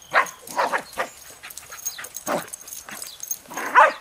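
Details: Male Jack Russell Terrier on a leash near a highway, playing with a ball for the first time; five sharp, bright bark-yips spaced irregularly over four seconds, with quieter scuffling between them.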